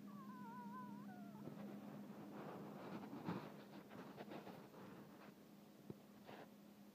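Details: Newborn Bernese Mountain Dog puppies available in Colorado give thin rising-and-falling whines early on, then soft rustling and faint squeaks, with a steady low hum underneath.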